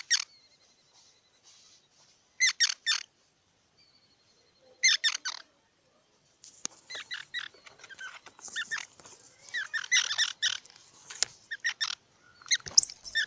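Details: Squirrel giving clusters of sharp squeaky chirps, three or four notes per burst at intervals of about two seconds, later becoming a looser, busier chatter with softer notes between.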